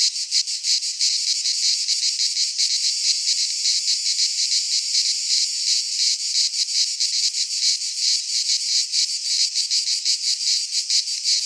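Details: Greek cicadas in a pine forest at midsummer keep up an unbroken, sizzling high drone, rhythmically pulsing about three times a second, the only sound present.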